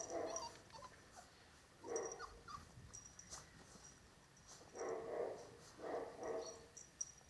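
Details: Litter of Cane Corso puppies from Dana and Paolo at seven weeks; repeated short whimpers and yips in separate bursts, roughly one every second in the latter half, with faint high ticking sounds behind.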